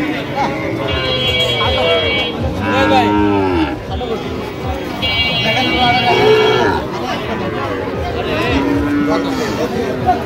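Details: Sahiwal bull calves at a Barishal cattle market on 22 September 2025, being bought by farmers: several long, rich, wavering moos, around three to four seconds each, with voices chattering throughout.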